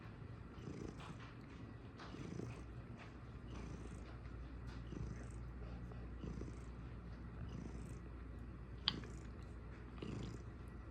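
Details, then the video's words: A domestic cat purring steadily indoors, a low continuous rumble with rhythmic swells roughly every second and a half, plus faint higher rustles and a brief click. "Cat Purr"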